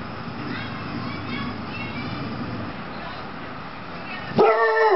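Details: Bored female Rhodesian Ridgeback Shar Pei mix growling and barking at unfamiliar noises from outside; low rumbling growl with harmonic bands through most of the clip, then a loud sharp bark near the end.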